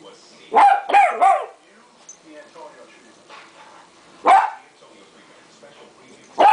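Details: Duke, a 3.5-month-old Westie puppy, barks while playing with tape: a quick run of three high yaps, a pause, then two more single barks spaced about two seconds apart over a low television murmur.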